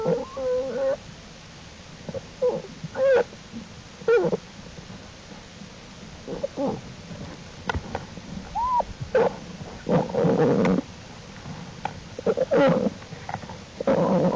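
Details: American black bear cubs following their mother outside the den and exploring, recorded April 2, 2012 in a long-term wild bear study; short whining squeals and wavering tonal calls come in scattered bursts, mixed with rougher broadband grunts and rustling.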